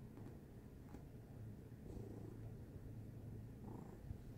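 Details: Domestic cat purring steadily: a dense, low, throbbing rumble with an even pulse, close and continuous, with a faint shuffle or rustle near the end.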